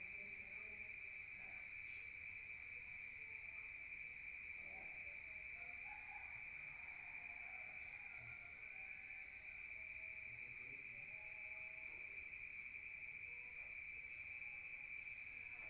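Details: Rural night chorus of crickets recorded from inside a room: a steady shrill trilling drone held throughout, faint distant tones and soft low rumble in the background.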